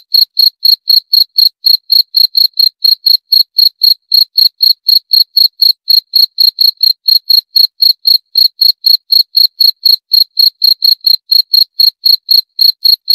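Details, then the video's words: Cricket chirping steadily, short bright pulses repeated about four times per second in an even rhythm, with no other sounds behind it. "29 Menit Suara Jangkrik - 29 Minutes Cricket Sound Effect"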